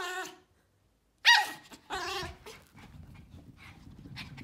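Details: Barking from Pomeranian puppies and a female Pomeranian: a high yap, a pause, then one loud piercing bark and a rougher follow-up, fading into low rumbling background.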